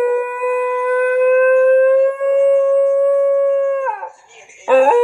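A Basenji yodels, holding a long, clear, slowly rising tone that breaks downward, then starts again.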